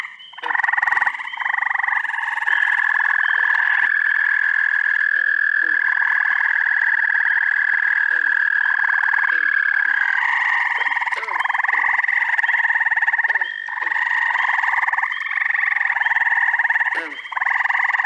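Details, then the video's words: An assortment of frogs calling at night-pond style in upstate New York, first week of June. A long unbroken trill holds steady for ten seconds over continuous pulsed chorus, punctuated by many short low falling croaks and occasional sharp clicks. "Frog Orchestra. Treefrogs! Toads! Peepers! Green frogs!"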